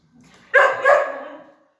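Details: At home during a training session, a pointer dog gives a single loud, harsh double bark that trails off into a brief fading tail, with a faint low murmur just before it.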